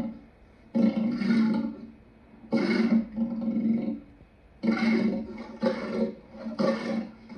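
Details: Lion giving four loud, growling roars, each about a second long and rich in harmonics, separated by short pauses, with a brief quiet gap in the middle.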